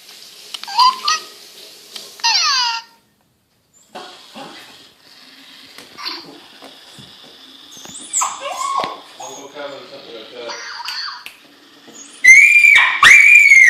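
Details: Female Miniature Schnauzer indoors, screaming wildly for her long-lost electronic toy hamster: shrill, rising, wavering squeals and whines in bursts. An electronic toy chirps and people talk, and a loud, piercing squealing run comes at the end.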